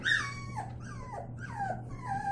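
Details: Playing Labrador Retriever puppies indoors give high, falling whines, four drawn-out whimpers each sliding downward, over a low steady hum.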